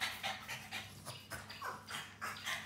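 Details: Two French Bulldogs in a kitchen in Lamphun, northern Thailand, on a Saturday morning after getting into green food colouring; rapid breathy panting, bursts roughly every quarter second, steady rhythm throughout.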